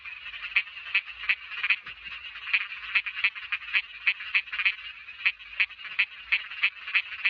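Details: Frog calling in a steady chorus: rapid, bright, clicking notes repeated about three times a second, forming a continuous high-pitched pulsing.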